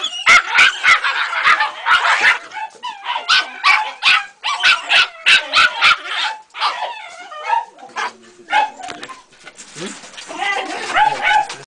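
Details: A three-month-old Jagdterrier pup's first experience with a rat, yapping in fast excited series about three per second, then softer whining yelps toward the end.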